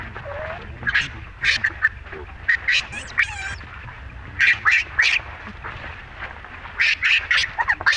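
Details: Baby monkey Rainbow, amid Libby's unchanged rough behaviour toward it: high, harmonic, shrill cries in short bursts, several clusters of rapid repeated squeals with brief gaps between them.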